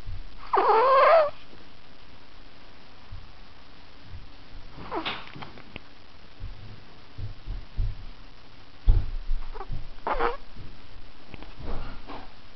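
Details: Ahji, a fat pet Chihuahua falling asleep, gives a short rising whiny moan at the start, then soft low snuffling grunts and breaths, with brief squeaky whimpers around five and ten seconds into the quiet.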